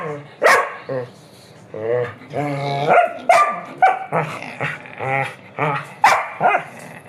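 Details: Pet dog at 5 in the morning in Brazil calling its owner to go for a walk; a rapid run of whiny yelps, moaning howls and short barks, irregular and insistent, several per second.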